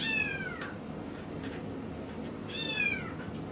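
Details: A young male Miniature Schnauzer, born 2015-08-13, in a Yokosuka pet shop in Kanagawa Prefecture, Japan. Two high-pitched whines come about two seconds apart. Each one is arched and falls away at the end, over a quiet indoor background.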